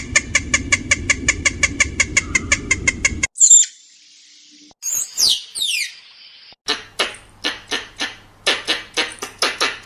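A squirrel chatters in a fast run of dry, clicking chips, about six each second. After a short squeal, slower, harsher barks follow at a steady pace over a faint low hum.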